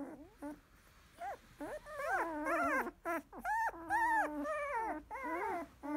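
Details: Sixteen-day-old field-type Labrador Retriever puppy, eyes just opened, after a nursing feed: a busy run of high, wavering whimpers and squeals, rising and falling, several per second with short gaps.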